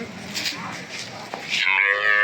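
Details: Small cattle at a cattle market in Setabganj, Dinajpur, Bangladesh, on 4 September 2024, bought for a farmer in Raozan; after muffled chatter and noise, a loud harmonic moo starts late and holds steady to the end.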